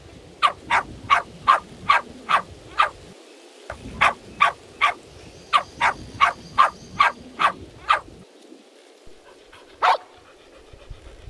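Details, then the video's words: A dog barks steadily, its sharp, bright woofs coming about every half second in a long, even series before one last louder bark after a pause, over a low rumbling background. "Cute dogs barking - Woof woof"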